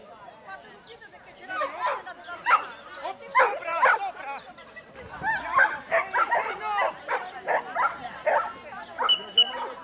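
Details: Giant Schnauzer working an agility course in 2013 with a 63-year-old handler, barking in short sharp bursts, several per second in places, with a man's voice talking over it.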